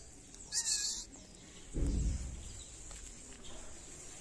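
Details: Hungry stray cats in a Moroccan city calling for food and attention: one short, bright meow with stacked harmonics early on, then a low dull thump and soft background rumble.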